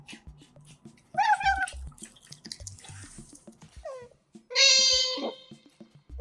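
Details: Pet otters eating, close to a microphone, give two bursts of squealing, harmonic whines with a few short squeaks in between; the first is wavering, the second is longer and falls at its end. A steady music beat and small clicks play underneath.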